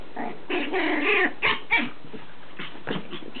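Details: Chihuahua puppy named Lacey playing with her toys, giving high, squeaky, strained growling whines in a dense burst for about a second, then a few sharper yips and short rough bursts.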